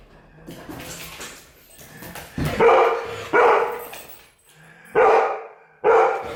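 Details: Golden retriever barking in reaction to a person's sneeze. After some soft noises, four loud, sharp, mid-pitched barks come in two pairs, each bark rough and short.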